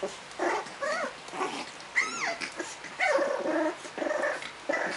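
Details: French Bulldog puppy giving a run of short, whiny, tonal yelps and throaty grumbles, some sliding up then down in pitch, in about six closely spaced bursts with brief quiet gaps between them.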